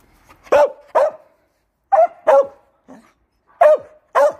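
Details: Pet Samoyed barking: six sharp, loud barks, mostly in quick pairs with pauses of about a second between pairs, plus one softer short yip, in an otherwise quiet room.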